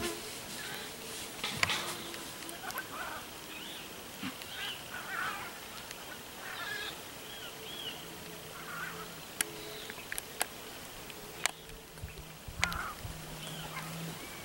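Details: A white-lipped peccary, known for clacking its teeth when cornered or in danger, gives sharp, dry, irregular teeth clacks in scattered bursts, several close together near the end, over soft grunting hums and faint higher calls.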